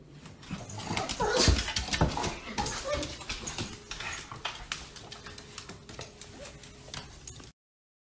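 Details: Pet dog whimpering and yipping in quick, uneven bursts, loudest in the first half and then tapering into softer whines, with clattering noises, a faint steady hum, and a little human speech in the background.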